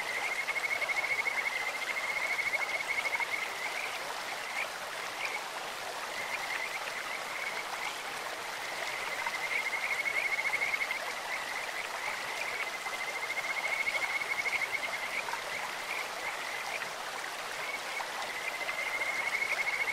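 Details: Kajika frogs croaking in a stream: high, fast-pulsed trills come in bouts of a few seconds, roughly four across the stretch, with short gaps between, over the steady hiss of flowing water.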